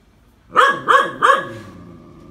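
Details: Phu Quoc Ridgeback dog practising snake catching, three fast sharp barks in under a second, followed by fading low background sound.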